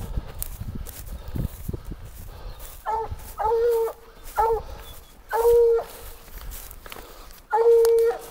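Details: Treeing a raccoon at a den tree, the Black and Tan Coonhound Rambler gives loud, resonant barks, some drawn out into short bawls, five in a row about a second apart after early crunching footsteps.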